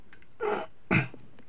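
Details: At night, a fox gives two harsh, breathy barks about half a second apart, the second sharper and louder, over a quiet background; owl hooting is also noted.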